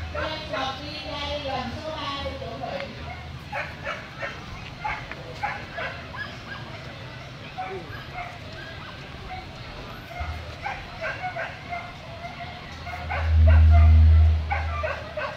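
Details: Corgi at a dog show in Vietnam barking steadily in short, clipped bursts across the whole stretch, amid crowd voices, with one loud low thump near the end.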